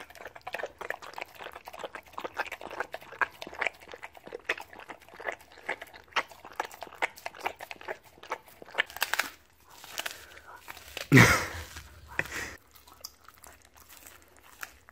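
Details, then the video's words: A reward of raw beef cheek and chicken on the bone is eaten by a Siberian Husky. Steady, rapid crunches of bone repeat for several seconds, then a few louder thumps and scrapes come before the chewing eases. "Husky Causes HUGE Crunching Sound Noises!"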